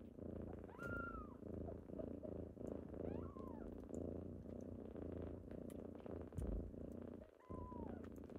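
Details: Kittens waking someone up on a typical morning, a steady loud purr running throughout, broken by three short high meows, each rising then falling.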